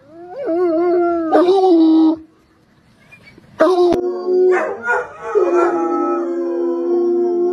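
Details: Bloodhounds howling: long, wavering tones with rich harmonics, broken by a short silent pause, then resuming with several overlapping voices rising and falling before settling into a steady drawn-out note.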